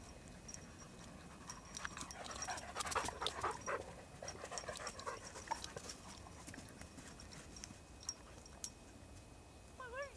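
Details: Two Irish Setters, Merlin and Jack, playing at Blackheath: heavy panting and scuffling with rapid, irregular footfalls and rustles, busiest in the middle, then a short wavering tonal cry right at the end.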